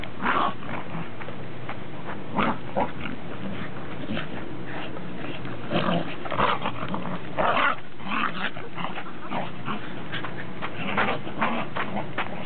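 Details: Mixed dogs, Pembroke and Cardigan Welsh Corgis and a Cairn Terrier, 30 December 2006; a busy stretch of irregular barks and rough, grunting noises overlapping one another, with steady low background rumble.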